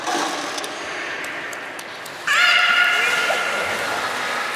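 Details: Juvenile belugas during play time while transferring pools at Port of Nagoya Public Aquarium in November 2017: two seconds of hall noise and faint clicks, then a single loud, sustained harmonic squeal.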